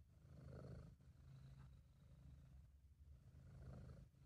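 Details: British Shorthair cat named Sabu purring in an amateur home recording: a soft, continuous low rumble that swells and eases with each breath, roughly once a second, quiet throughout over faint hiss, no other sounds.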